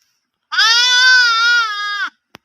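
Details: Single drawn-out bleat from a baby sheep, a loud, steady, nasal baa lasting about one and a half seconds with a slight wavering pitch, followed by a brief click.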